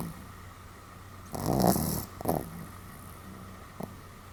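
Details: Pomeranian Sam snoring somewhat loudly, 31 July 2015: one rasping snore near the middle with a brief fluttering follow-up and a faint click later, otherwise soft breathing over steady low hum.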